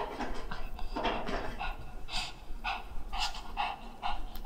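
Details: Black Shih Tzu named Jjanga, a pet dog being dressed in winter clothes it dislikes, panting indoors in quick breathy bursts about twice a second over a steady low hum.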